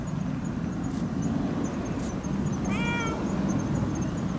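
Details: Pero-chan, a cat, on the evening of 26 September 2015 near the equinox, coming for milk on a moon-viewing night: one clear rising-then-falling meow about midway, over a steady low rumble and faint high ticking.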